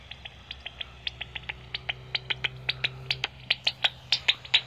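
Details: Pipistrelle bats at Bowesfield Nature Reserve, where many bats fly, picked up through a Magenta Bat Detector: a fast, irregular series of dry clicking pulses, roughly two or three a second, growing louder toward the end, with a low steady hum beneath.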